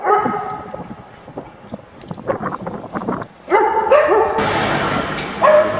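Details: Dog sounds during a training session in Genoa, Italy, with Venus, a female AmStaff, and Zeus, a male Staffordshire Bull Terrier: short barks, then tonal whimpering yelps near the end, mixed with a trainer's spoken commands and background noise.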